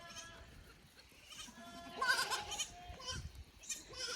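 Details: Goat kids exploring an unfamiliar upper pasture at a small Japanese goat farm, 15 May 2024; a few soft, wavering bleats, one louder near the middle, over quiet outdoor background.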